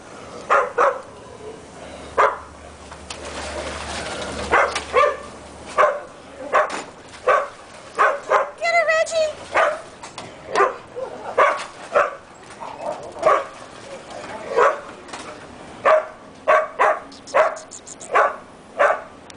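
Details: Reggie the dog plays in the pool at BARK ATL, barking in a steady stream of short, sharp yaps roughly every half second to second, with people talking in the background.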